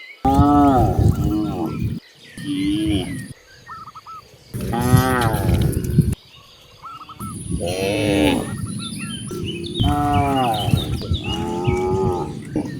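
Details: Free-roaming cows in green countryside low repeatedly, strong harmonic moos rising and falling, several overlapping callers in quick succession over a rumbling background, birds twittering faintly between calls.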